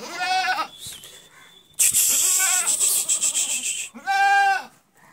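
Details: Barbari goats from Etawah, Uttar Pradesh, India: two loud, quavering bleats at the start and end, separated by a harsh, noisy broadband rush.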